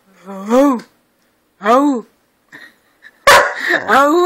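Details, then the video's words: Husky, an albino house cat said to 'talk', sharing the home with another cat and two dogs: two drawn-out, arching meows rise and fall about a second apart, then a sharp broadband burst and a final wavering meow. "Gato hablando"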